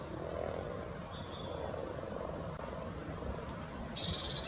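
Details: Spawning frogs at Luolavuori in Turku, Finland, give a low, soft, purring murmur that swells through the first second and then fades into a steady background hum. Thin, high bird whistles pass over it, with a sharp chirp near the end.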